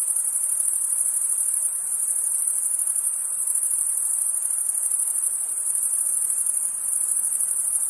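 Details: Summer night chorus of crickets, an unbroken high-pitched ringing trill at an even level throughout, with faint low hiss beneath.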